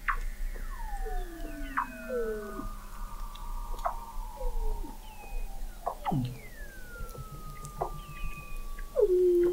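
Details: Multiple Weddell seals vocalise under the frozen Southern Ocean ice of McMurdo Sound, Antarctica, in November 2017, from the McMurdo Oceanographic Observatory 21 m down: many layered descending whistles, sharp downward chirps and long gliding tones overlapping throughout.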